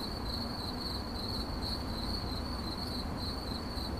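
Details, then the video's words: Short stretch of cricket chirping: a high, pulsing, steady-pitched trill that swells slightly in loudness, set over a low background rumble. "CRICKET CHIRPING"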